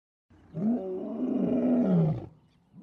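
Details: Lion in the African savannah, after a pride's charge on an elephant herd ends in retreat: a single drawn-out, arching roar about two seconds long, deep and harmonic-rich, rising then falling, with near silence around it.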